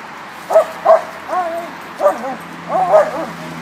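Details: Bulldog barking at a dog park: a run of short, high, yelping barks, about six in under four seconds, some doubled, with faint background hum.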